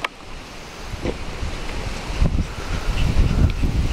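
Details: Outdoor wind rumble and microphone buffeting with soft rustling and scraping from digging, rising in loudness toward the end; no animal voice.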